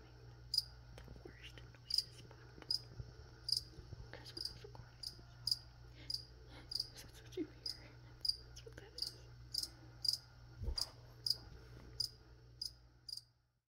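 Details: High, clipped cricket chirps repeating about every 0.7 seconds in a room, with faint whispering, light rustles and low hum beneath; the sound cuts off abruptly at the end.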